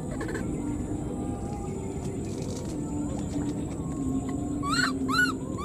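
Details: Two quick, arching squeaky cries close together near the end come from an abandoned wild newborn monkey calling for its mother, after a stretch of low background hum and faint knocks.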